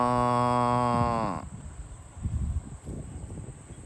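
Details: A farm cow gives a long, deep moo that rises slightly and then breaks off while the cows are herded to the barn.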